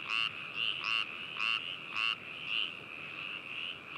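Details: Frog at Hakushu, Hokuto, Yamanashi Prefecture, Japan, binaural recording from 4 May 2018; a near frog gives short, harsh croaks roughly twice a second in bursts, over a continuous trilling chorus of other frogs.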